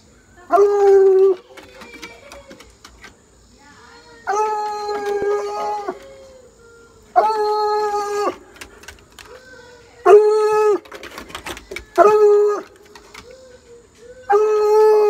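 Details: Bluetick Coonhound baying at a rabbit in a backyard: long, steady, tonal bays with rich harmonics, each about a second, repeated every two to four seconds, with softer whining yelps between and a person speaking briefly at the end.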